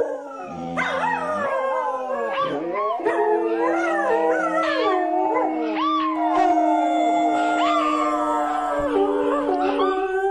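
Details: Dogs howling: several long, wavering voices overlap and rise and fall in pitch, with one steady held tone running underneath for much of the time, loud and continuous throughout.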